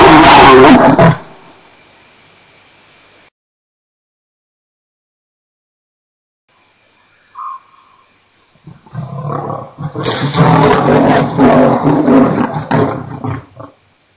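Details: Male lion at Nkorho, 29 September 2008: a loud, rough burst opens, then silence, then a long run of deep, rasping, pulsed grunts rising and falling over about five seconds before fading out.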